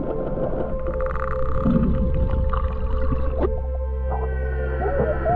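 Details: Humpback whales vocalizing underwater, heard by swimmers close enough to feel the vibrations, give drawn-out moaning tones and short rising sweeps over a low rumble.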